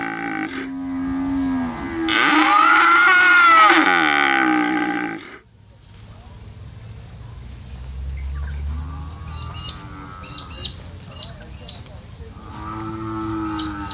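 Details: Cattle mooing: a loud, strained bellow rising and falling near the start, then quieter, lower moos, while short high chirping bird notes repeat in the background.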